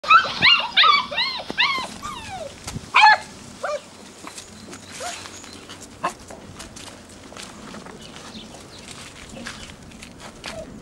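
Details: Hovawart puppies on their first time out in the garden, exploring; a run of high, arching yelps and squeals in the first three seconds, then scattered softer whines and rustling outdoors.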